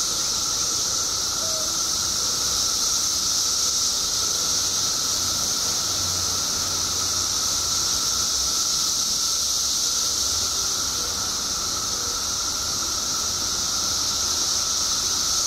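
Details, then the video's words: Chorus of periodical cicadas in Illinois during a mass emergence of billions after 17 years underground: a dense, unbroken high-pitched hiss with a steady lower droning whine beneath it, holding even throughout. "Billions of Periodical Cicadas Emerge After 17 Years Underground Cicadas Making Noise"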